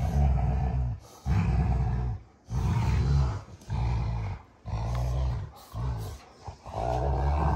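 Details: Low, rough growling from two Rottweilers, June and Kenai, wrestling in play on a homestead ranch; sustained throaty rumbles broken by short gaps roughly every second.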